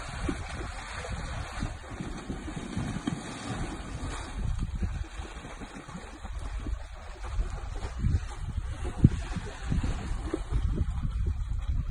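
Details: Continuous splashing water and gusty wind noise in an outdoor setting, with low rumbling throughout and no clear animal call.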